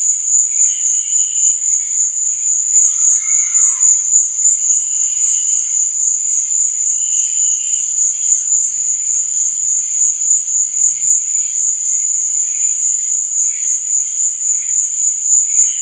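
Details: Night chorus of crickets: an unbroken high-pitched ringing trill over fainter chirps and short whistled notes, with a low hum briefly near the middle.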